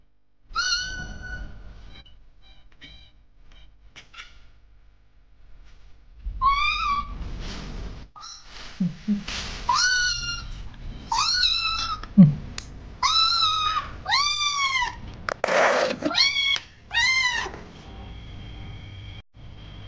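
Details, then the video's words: Kitten trapped in fences, crying for help. Loud, arched, high meows repeat about once a second in the second half, each rising then falling, after a quieter start with faint rustling and soft thumps. "A Kitten Trapped in Fences and Screaming for Help!!!"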